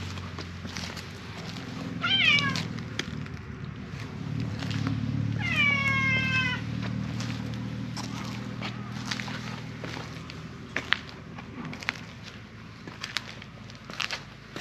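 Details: Silver mackerel tabby cat in a park where stray cats are cared for, loudly meowing as if appealing for something; two loud, rich meows, the second longer and drawn out with a falling end, over a steady low rumble and occasional faint clicks.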